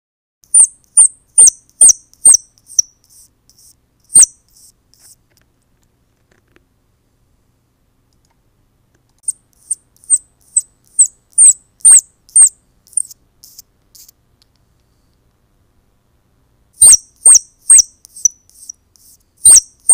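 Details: Baby squirrels crying to attract their mother: bursts of very high, thin squeaks repeated about twice a second, each with a sharp click, separated by silent gaps of several seconds.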